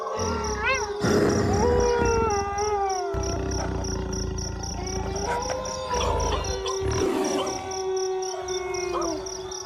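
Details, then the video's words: Wolves howling in a group, a steady held tone running beneath shorter wavering and rising howls, over a rough low-pitched rumble that comes and goes. "Wolves Howling"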